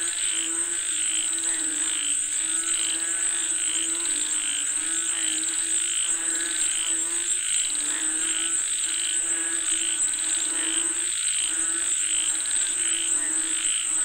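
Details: Frogs said to be calling for rain: a dense, continuous chorus of overlapping croaks, with rhythmic pulsed notes repeating about twice a second over a steady high-pitched drone throughout.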